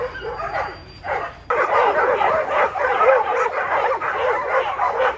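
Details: Jed, a male tri colour Border Collie nearly 7 years old, on a farm keeping people on time for his herding ball game; dense, overlapping, excited barks fill the clip after a quieter opening.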